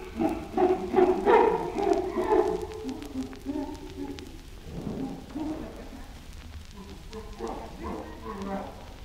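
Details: Chimpanzee grunting in a burst of loud, harsh, overlapping calls during the first few seconds, then trailing off into softer, scattered grunts over a faint background hiss.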